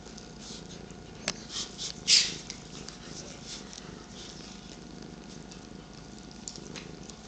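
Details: Indoor morning purring from pet cats Sweetie, aged 13, and 8-month-old Petie, Paisley resting on a lap; a soft continuous rumble under a few sharp clicks and a rustle around the second second.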